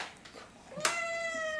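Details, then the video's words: Pet cat upset by catnip in a small room: a sharp sound, then a loud whining meow starting abruptly and holding a steady, slightly falling tone, while a person softly reassures it. "Starry Hates Catnip!"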